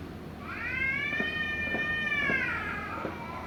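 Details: Cat yowling during a quarrel, a single drawn-out wailing cry that rises, holds level for about two seconds, then sags downward, over a low steady background hum.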